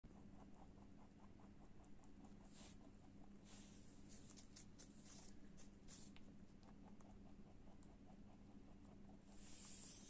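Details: Pet lop rabbit eating an apple: rapid, crisp crunching clicks repeat several times a second through the whole stretch, with a few louder crunches midway and a steady low hum underneath.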